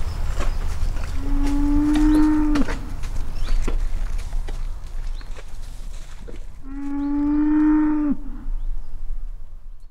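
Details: Horned cattle bellowing on a farm, having called through half the night and again in the morning while another cow lay oddly apart from the pasture; two long, steady, deep droning moos, each about one and a half seconds, separated by quieter rustling.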